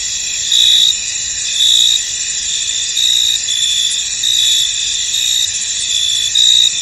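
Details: Many crickets calling in a fog-covered field, a constant high-pitched shimmer punctuated by louder chirp bursts about every one to one and a half seconds, otherwise quiet.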